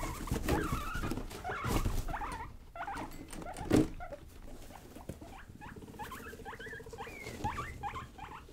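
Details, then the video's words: Pet guinea pigs Rosie and Buddy, young and playful, indoors: short upward squeaks in clusters, quickening toward the end, with thumps, rustling and a low steady hum behind. "Our Playful baby | Guinea Pig Vlog"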